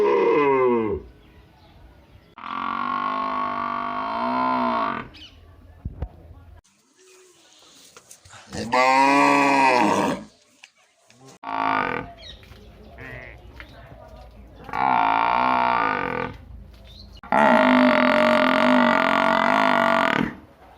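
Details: Village buffalo kept alongside cows, giving a series of long moos, each two to three seconds long, with pitch bending up and down. The calls are separated by short quiet gaps, and the last is the loudest.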